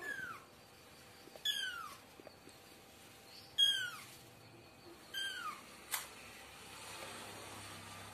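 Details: Kitten and cat voices: four thin, high meows, each sliding steeply downward, spaced about every two seconds over a quiet background, with a short sharp click near the end.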